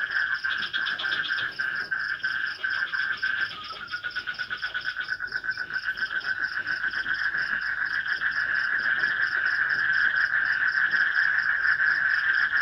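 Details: Frogs and crickets calling at night in a swamp during light rain, in forest near a village in Indonesia; a dense, steady pulsing chorus of rapid repeated notes at several pitches, with a high faint ticking above.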